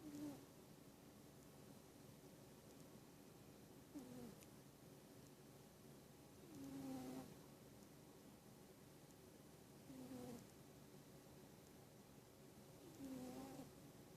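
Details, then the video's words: A pet cat sleeping and snoring: soft low breathy snores around every three seconds, each a short rasping swell, steady quiet room background between breaths. "Snoring Cat"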